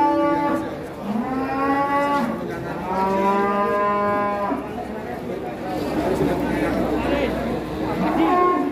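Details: Very large cow, kept two years near Gunung Telomolya, bellowing several long, loud moos in a row, each rising then sagging in pitch, with people chatting in the background.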